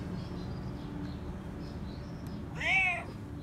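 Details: Stray cat loudly meowing while demanding to be petted: one clear harmonic meow near the end, rising then falling, over steady low street rumble with faint high chirps in the background.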